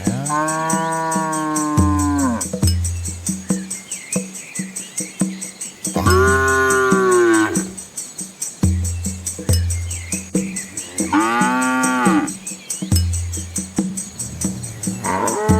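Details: Hungry village cows give long, drawn-out moos that rise then fall, roughly every five seconds.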